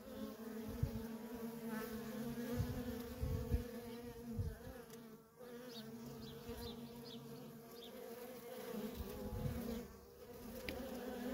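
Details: Busy entrance of a feral honey bee colony, workers streaming past; a continuous hum overlaid by low rumbling thumps and gusty bursts, with a few faint high ticks.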